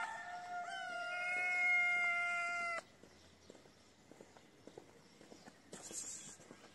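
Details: Hungry kitten crying for food with its mother close by: one sustained, steady, bright meow of nearly three seconds, then rustling, faint clicks and a burst of hiss.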